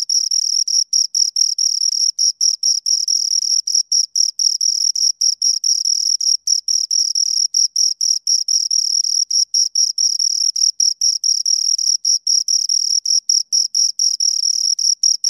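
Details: Two crickets chirp in a clean, high, shrill trill broken by frequent short gaps into uneven bursts, with a faint higher overtone and no other sounds.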